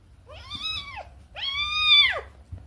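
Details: Playful, mischievous pet cat meowing twice, each meow a clear, drawn-out arched call that rises then falls, the second longer and louder, in a quiet indoor setting.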